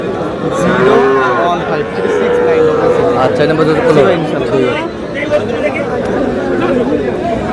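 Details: At Aftabganj market in Dinajpur on 13 June, Sahiwal bull calves are traded as the market opens; one long, drawn-out bellow rises and sags for about three seconds, then market chatter and shouting voices take over.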